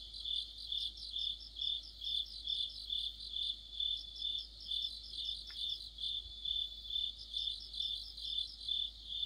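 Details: In the heart of autumn, crickets and fellow insects chorus beneath a streetlight; a steady high ringing trill beats in rhythmic swells, overlapping chirping voices above it, and a brief faint click midway.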